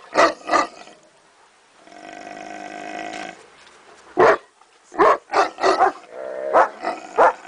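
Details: Neapolitan Mastiff: two deep barks, a droning, growly moan lasting over a second, then a quick series of five or six short barks.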